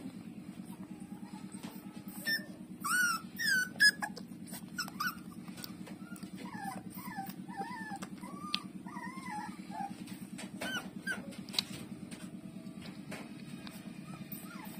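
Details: Nursing puppy Lulu squeals in short, shrill, wavering whimpers that come in two clusters with quieter gaps, over a steady low throbbing hum and scattered clicks.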